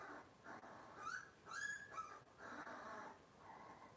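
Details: Cavalier King Charles Spaniel puppies from Robin's litter, indoors on a kitchen camera, give a few short, thin, squeaky whimpers with rising and falling pitch, bunched in the middle seconds over low room noise.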